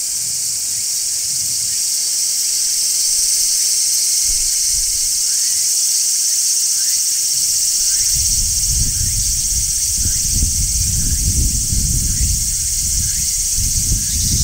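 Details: Large brown cicadas in summer, recorded on location at a tree, producing a constant sizzling high-pitched drone, with faint short chirps above and low rumbling noise rising in the second half.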